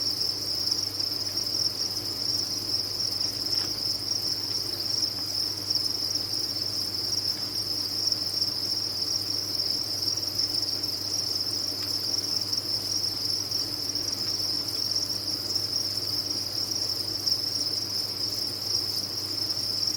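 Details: Crickets raised on a farm keep up a constant, high, shimmering trill for the whole stretch, many voices blending without gaps, with a gentle low hum behind.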